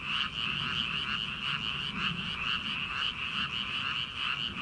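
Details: Dense frog chorus from a rice paddy in early summer, ahead of rice planting. Many voices merge into a continuous high trill, with rhythmic pulsing croaks rising and falling through it.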